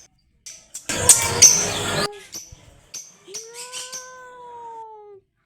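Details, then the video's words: A loud burst of rustling and clattering is followed by a single clear cat meow that rises briefly and then slides gently downward over nearly two seconds. "Cat Meowing Sound | cat sounds | Cat meowing loudly"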